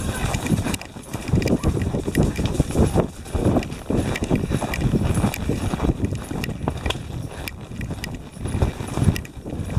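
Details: Four Tennessee Walking Horses, including a stallion, ridden along a twisting, winding trail in Brenham, Texas, under a storm while hurrying back to the barn ahead of rain; dense, low thudding hoofbeats over a constant rumble.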